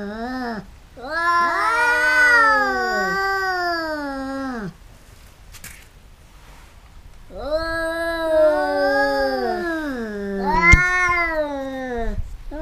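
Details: Caterwauling from a pair of cats fighting: two long, overlapping wailing howls that waver and slide downward, separated by a few seconds of near silence, with a sharp click near the end.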